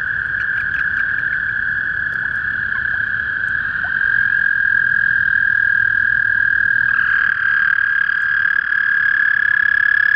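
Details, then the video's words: At a small pond behind a property in spring, a toad keeps up a sustained high trill. A second overlapping trill joins partway through and thickens the chorus toward the end. "Sounds of spring - Toadies"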